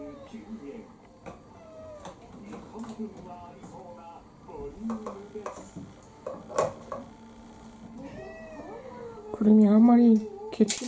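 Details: Household cat Kurumi, a four-year-old orange tabby mix among six pet cats in Japan, pleading for dinner with short, wavering meows scattered through the clip, overlapped by a woman's chatter and kitchen clatter, ending in a louder close call.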